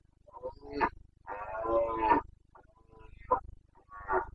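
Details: Carpathian red deer stag roaring during the rut in the Bucovina mountains of Romania, 29 September 2022: harsh, harmonic bellows in several bursts, the longest lasting about a second, separated by short pauses.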